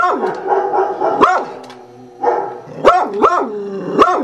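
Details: Beagle responding to computer sound effects with continuous wavering baying, broken by several sharp rising-then-falling yelps repeated every half second or so.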